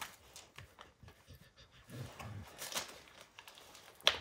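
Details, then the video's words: Dog Max working on a baseball hide indoors, soft breathy panting and gnawing, tearing sounds rising midway, ending in a sharp crack. "Max Destroys A Baseball Hide | NOT ASMR | DOG CHEWING"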